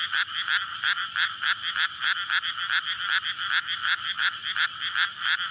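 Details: Frogs calling for mates in a water-filled rice paddy during May planting season, at night; loud pulsing croaks beat in quick succession over a persistent high trill.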